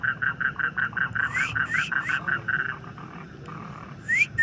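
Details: Frog calling in quick, short, nasal pulses, about three per second, mixed with a few rising whistled notes, then fainter calls and two more upswept whistles at the end.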